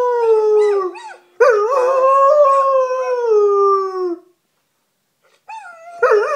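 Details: A German Shepherd howls in reply to a recording of other dogs howling, giving long, wavering howls that slide slowly downward in pitch.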